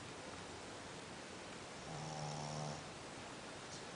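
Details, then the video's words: Sleeping dog snoring like a human: one low, rumbling snore swells for about a second midway through, then fades, over a steady hiss with no other voices. "Sleeping like a dog, snoring like a human"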